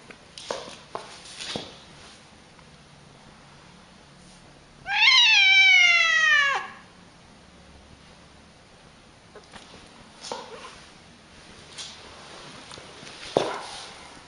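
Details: Angry cat letting out one loud, strained wail lasting under two seconds that starts high and bends down, surrounded by soft thumps and rustling noises indoors.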